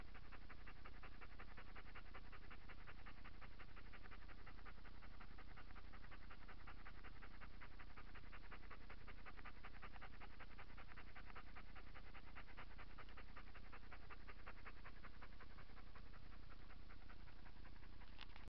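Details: A domestic dog lies sprawled like a frog after a walk on 8 September 2017, panting hard. The breaths are rapid and evenly spaced, about three per second, with a faint low hum underneath.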